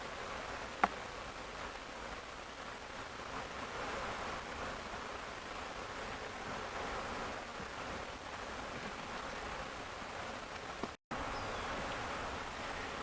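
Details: Swarming honey bees, the keeper's own hive, on an Ontario farm on May 11, 2025; a soft, constant, broadband buzz of the crowd, with a brief click near the start and a short dropout near the end.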